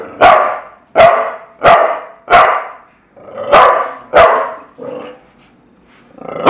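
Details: Bulldog barking indoors: a run of loud, sharp, broadband barks spaced roughly two-thirds of a second apart. About seven barks come in quick succession, followed by a softer one, a brief pause, and a final bark starting at the end.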